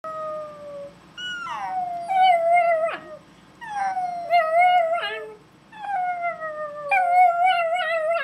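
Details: Dog singing in drawn-out tonal howls, each phrase sliding downward with a wavering pitch and strong overtones. About five howled phrases come in short bursts separated by brief pauses, with nothing else clearly heard.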